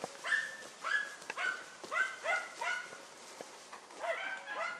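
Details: German Hunting Terrier Dunja confronting a wild boar, heard from farther off: a string of hoarse, whining yelps and barks about every half second over a steady hiss of background noise.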